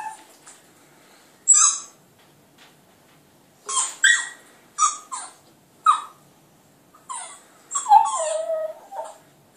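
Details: Border Terrier puppy howling at a computer indoors, giving short squeaky yelps in scattered bursts, then a longer wavering, falling howl near the end.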